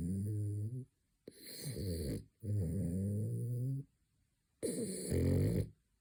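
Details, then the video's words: Pet French Bulldog asleep at midday, on his third nap of the day, snoring in deep buzzy rumbles that last around a second each, broken by brief silent pauses between breaths. "Frenchie is snoring"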